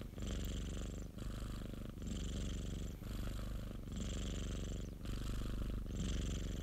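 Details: Popo, a pet cat belonging to a colleague, purring continuously: deep, even rumbling pulses that swell and fade with each breath, roughly one cycle per second, with a light hiss on top.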